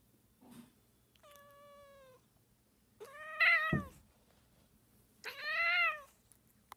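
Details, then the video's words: Domestic cat meowing: a soft steady mew followed by two louder, rising-then-falling meows about two seconds apart, with a low background hum. "Cat Meowing"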